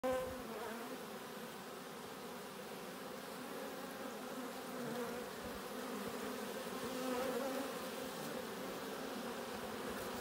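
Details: Honey bees bringing pollen and nectar back to their hive at a beekeeping site, a continuous soft droning hum of many wings with wavering pitch, steady and faint, swelling slightly around the middle.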